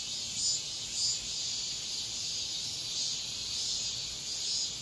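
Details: Cicada song at daybreak in high summer: an unbroken, hissing high drone with a few brighter swells about once a second, loud and even throughout.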